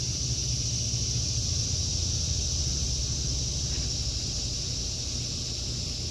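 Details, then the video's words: Continuous high-pitched buzzing of cicadas through an August 2023 garden, an even, unbroken drone with a steady low rumble of traffic in the background. "Sounds of Summer #cicadas"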